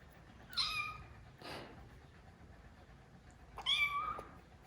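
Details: Cat in a living room as new rescued kitten Lara first meets older cats Kuu and Noa; two high, clear meows with bright overtones about three seconds apart, a soft rustling burst between them.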